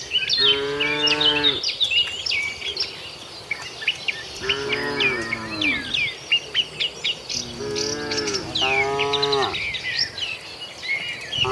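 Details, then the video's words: A tame cattle herd making its way to the shed, several long lowing moos, two close together near the end, set against a chorus of chirping birds. "suara sapi moo"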